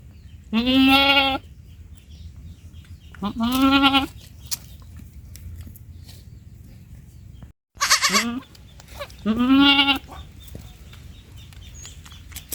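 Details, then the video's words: Baby goat giving four loud bleats spaced roughly every two to three seconds, each about half a second to a second long, nasal and rising at the start, with faint background noise between calls. "Baby goat sounds"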